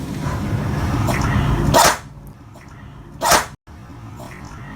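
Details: A 12-year-old Boston Terrier, after throwing toys around and raising dust, sneezes twice, each a sharp, breathy burst over a low background rumble.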